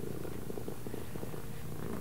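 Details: Domestic cat that responds to left and right commands, purring in a low, steady rumble indoors. A person's voice says "right" nearby.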